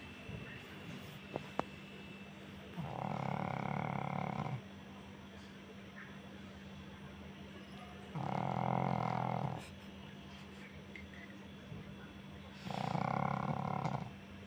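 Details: Pug snoring while cuddling: three long, loud rasping breaths about 1.5 seconds each, spaced roughly four to five seconds apart, low and throaty with a steady hum underneath.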